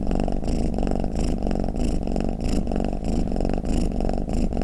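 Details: A dozing domestic cat snores and purrs, intended to lull cats: a low rattling purr swelling and fading with slow breaths, roughly one breath cycle a second, each carrying a faint whistly hiss.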